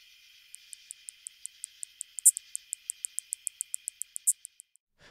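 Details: A greater anglewing katydid (Microcentrum rhombifolium), common in Illinois and the Midwest, gives a steady series of high, dry ticks, broken by a louder, sturdy zip.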